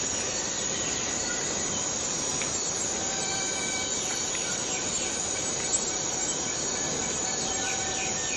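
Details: Cicada in the Borneo rainforest: a dense, unbroken high-pitched drone holds steady for the whole stretch, with faint thin whistles and chirps from other forest callers drifting underneath.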